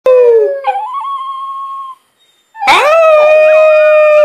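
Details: Lilly, a pet dog recorded close up, gives squeaky howls: a wavering tone that breaks upward, holds steady, falls silent, then returns as a bright, sustained, rich howl.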